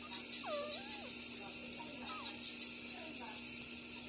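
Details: Nursing puppies Bob and Massy, six days old, street dogs born on the same day. A clear squealing whine dips and levels off near the start, then a few shorter, softer squeaks follow over a constant hum.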